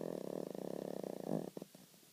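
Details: Charlee, a little Snorkie dog, sleeping and snoring loudly: a rapid, rattling run of pulses for about one and a half seconds, swelling near the end, then breaking off into a few short separate snorts.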